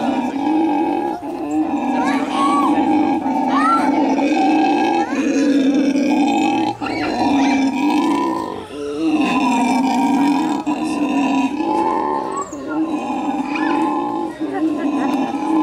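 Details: A monkey having a fit wails loudly and almost without pause, its harsh voice wavering up and down.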